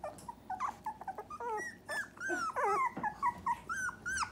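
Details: Young Dachshund puppies, three weeks old, give high, thin whimpers and squeaks in quick bursts, some bending upward and others sliding down, with soft background noise between calls.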